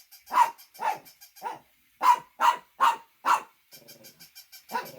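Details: Shih Tzu dog barking in sharp, bright yaps, about seven loud barks in quick irregular bursts, with quieter softer yips near the end and silence between calls.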